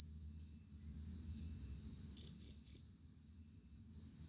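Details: Cricket calling in a high, shrill, continuous trill that pulses unevenly, growing briefly louder and sharper a little past the two-second mark, with a faint low rumble underneath.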